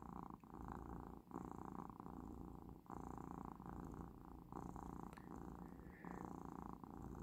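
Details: Indoor Persian cat purring while relaxed, on the last day of its medication. A deep, rhythmic rumble rises and falls with each breath, in cycles of roughly one to one and a half seconds separated by short quiet gaps.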